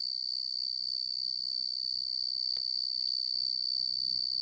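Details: Male tree cricket of the genus Oecanthus singing: a steady, unbroken high trill that holds one pitch throughout, with a fainter overtone above it and quiet low background rumble.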